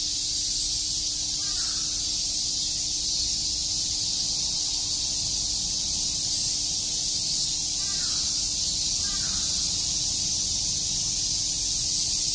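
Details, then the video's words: Chirping cicadas on a summer day at Tokyo's Shakujii Park form a constant, loud, high buzzing wall of sound, with faint scattered calls from another bird, possibly crows, around 1.5, 8 and 9 seconds. "Cicada chirps"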